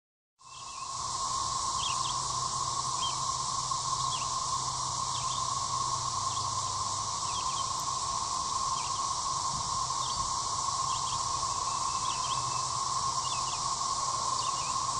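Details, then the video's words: Periodical cicadas of a 13-year brood emerging at Gillam Park, Little Rock, Arkansas: a dense, steady droning chorus with a hissing upper layer runs throughout, while scattered short bird chirps break in above. "Cicadas are out"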